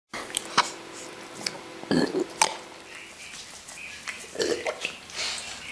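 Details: Bull Terrier (Canis familiaris), burp.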